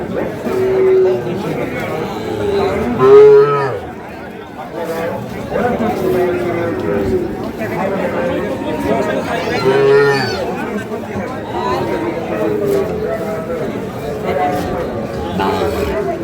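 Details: Sahiwal bull calves at Ambari cattle market, Parbatipur, Dinajpur, Bangladesh: a couple of short moos rising then falling, amid constant crowd chatter and Bengali speech of buyers and sellers.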